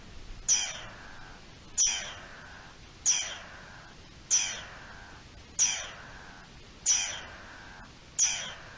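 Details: Alarm calls of a garden dormouse, 3 April 2021: seven abrupt, rasping notes, each starting high and sliding down, spaced evenly about 1.3 seconds apart against near silence.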